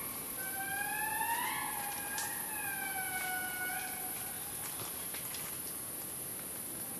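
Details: Indri wails from Analamazaotra National Park, Madagascar: one long tone sweeps upward, then holds and sags in a sustained siren-like cry, joined by a second overlapping voice before fading, with a high, steady insect drone behind.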